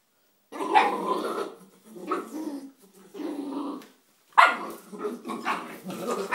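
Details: Three-month-old Bull Terrier puppy playing with a rock, giving rough, grumbling growls in bursts of about a second with brief pauses, and a sharper yappy outburst near the end.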